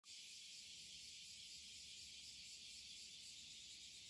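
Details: A dense cicada chorus on a hot July 2021 morning walk: a steady, unbroken, shrill hiss-like drone from many insects, heard all along the route.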